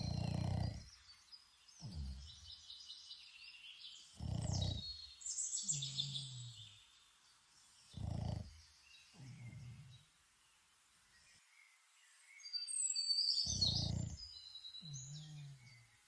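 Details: Boston Terrier named Toby asleep outdoors in Ireland, snoring in low rough bursts followed by short nasal whistling exhales, a breath cycle every four seconds or so, with birdsong chirping steadily overhead.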